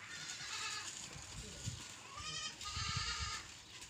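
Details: Domestic goats bleating: overlapping, wavering nasal bleats with rich harmonics, a cluster in the first second and a louder pair near the end, over low thumping handling noise.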